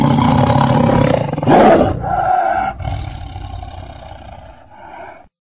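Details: Deep tiger roar opening with a powerful harsh burst, then trailing off into softer, grumbling low rumbles that fade to silence. Such roars serve battle or long-range communication and can carry almost 2 miles.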